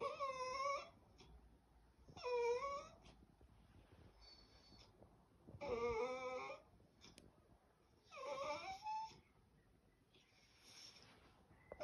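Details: West Highland White Terrier 'talking like a baby' indoors, softer and more distant: four wavering, high whines about two seconds apart, each bending up and down in pitch, with quiet gaps and faint room noise between.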